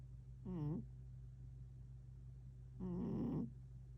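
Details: Domestic cat named Tank, filmed 11 October 2025, giving two short harmonic meows: a brief one, then a longer, rougher call about two seconds later, over a steady low indoor hum.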